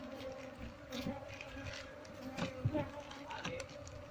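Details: Apis cerana honey bees humming as frames and hive box are closed during transfer of a wild colony, part still hanging on a window shutter. Even droning buzz, with scattered clicks, bumps and a voice.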